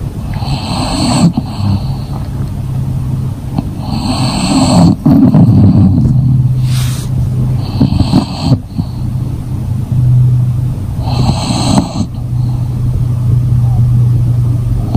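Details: A sleeping English Bulldog snores deeply, with low rumbling breaths repeating in a steady rhythm.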